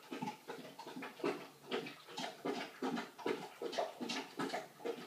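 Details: Litter of three-week-old puppies during feeding time indoors: steady run of short nasal squeaks and grunts, roughly two each second, overlapping and uneven, with faint rustling of blankets.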